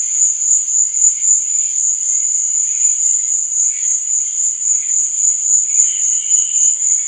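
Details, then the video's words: Night-time cricket chorus, an unbroken high-pitched ringing trill, with fainter lower chirps that flicker in and out, one brief tone standing out near the end. "Cricket Sound"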